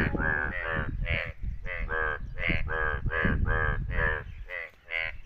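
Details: Yellow Indian bullfrogs in India during rain, giving loud nasal croaks in quick succession, about three per second, overlapping as several frogs call together, over a low rumbling background noise.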